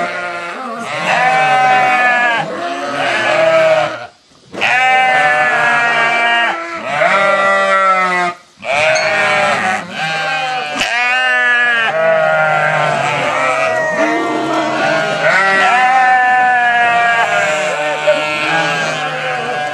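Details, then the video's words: Sheep calling back to their farmer, a dense chorus of tremulous bleats in bursts broken by two short pauses, voices overlapping throughout. "Farmer Calling His Sheep"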